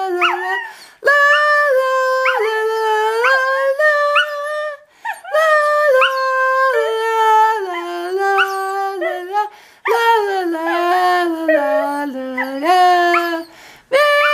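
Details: Pet dog singing along with Auld Lang Syne, giving drawn-out howled phrases of a few seconds each that slide up and down in pitch, broken by brief breaths and short whimpering rises.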